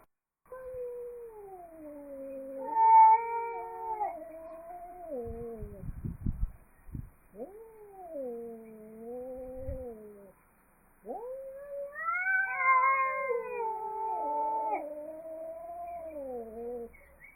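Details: Angry cats trading long, wavering caterwauls that rise and sag in pitch, several seconds each, with a pause between two bouts and some brief scuffling noises in the middle.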